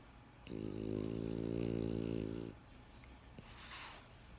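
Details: French Bulldog snore with one sustained, buzzing, vibrating intake of breath of about two seconds, a deep harmonic rumble, then a short gap and a breathy, hissing exhale.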